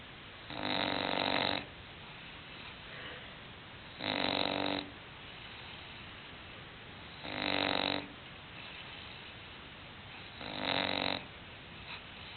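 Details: Sleeping English bulldog named Hulk snoring steadily, four rough, buzzing inhalations each near a second long, evenly spaced about three seconds apart, with faint breathing between.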